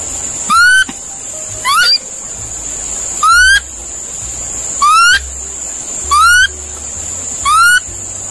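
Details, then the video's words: Monkey calling: six short, clear rising whistled calls with bright overtones, spaced about one to one and a half seconds apart, over a steady high insect-like hiss. "Sound Of Monkey/monkey Calling Sound"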